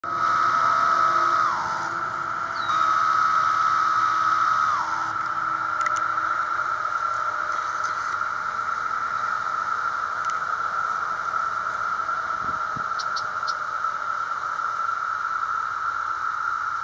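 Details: Periodical cicadas in 2024 drone in a steady chorus, with nearby callers giving long buzzing phrases that slur downward.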